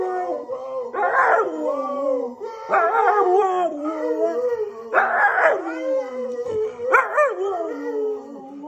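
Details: Orvi, a husky-boxer mix dog, in a howling contest with his owner: long wavering howls rising and falling, in four drawn-out bursts with short breaks between.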